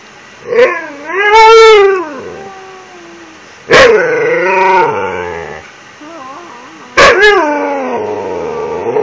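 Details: Siberian Husky begging at night for an empty toilet paper roll as part of a nightly routine; three drawn-out, wavering howl-like whines rich in harmonics, each rising then sliding down, spaced roughly three seconds apart with quiet room between.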